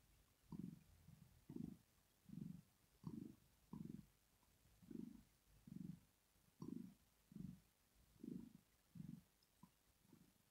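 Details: Rosetta, a female cat, purrs while sleeping, a contented sign of pleasure or relaxation: soft low rumbling bursts pulse steadily about every two-thirds of a second, each breath a separate throb, in a quiet room.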